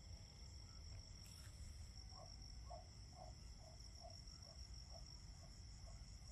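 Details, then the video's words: Autumn crickets in fall: steady, high, continuous ringing trill held at several even pitches throughout, with soft repeated low chirps from another caller about twice a second and a broad low rumble of background noise. "Autumn Crickets - 9-Hour Sleep Sound - Fall Cricket Song"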